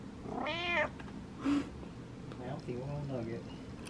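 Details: Domestic cat, vocal at night, meowing for its owner's attention: one short, bright meow near the start, a brief low chirp, then a person speaking softly.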